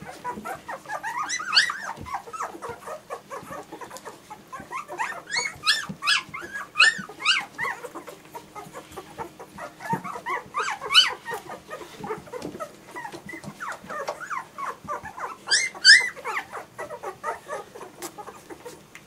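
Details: Group of German Shorthaired Pointer puppies whimpering continuously, busy overlapping squeaks punctuated every few seconds by louder shrill yelping bursts.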